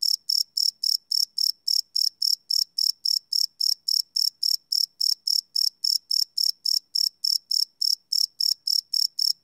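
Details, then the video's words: Crickets chirping at night, recorded live on a field recorder: loud, high, ringing pulses repeated steadily about three times a second, each burst sharp and bright, with nothing else heard behind them. "Cricket Chirp Sound - Cricket Sounds at Night"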